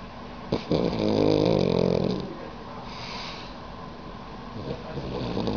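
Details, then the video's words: A sleeping dog with its tongue out snores, a rough rattling breath swelling for about two seconds, then softer breathing over steady background noise. "Dog snoring with tongue out 可爱狗狗伸出舌头打呼噜"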